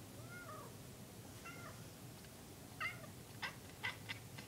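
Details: Pet cat indoors gazing out a window at small birds, giving squeaky noises: a few short, high, bent squeaks spaced about a second apart, then a quick run of clipped chirps near the end over a faint room hum.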